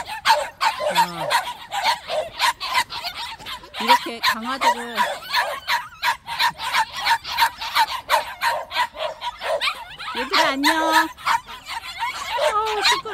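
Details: White puppies at a plum orchard give rapid, high yips and short barks in a dense overlapping chorus. A woman's voice talks and laughs over them throughout.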